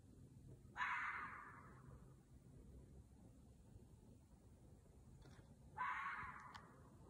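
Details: Red fox barking as a mating call: two harsh, hoarse, half-second calls about five seconds apart, each trailing off, over a low steady background rumble.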